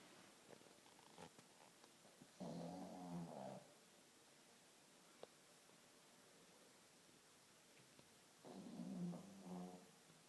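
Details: Sleeping pug snoring: two long, rasping, low buzzy snores about six seconds apart, with quiet background between them.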